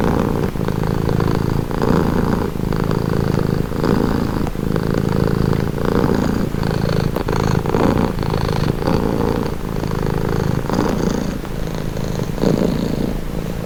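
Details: Continuous rumbling purr of a domestic cat, rhythmic swells of low buzzing tied to its breathing, repeating about every one to two seconds, calm and close.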